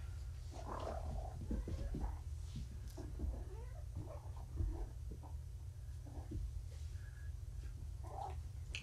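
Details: Kittens just back from being neutered and groggy on pain medication, recorded indoors. Faint, soft mewing sounds appear twice, near the start and again near the end, over a steady low hum with light rustling and handling noises.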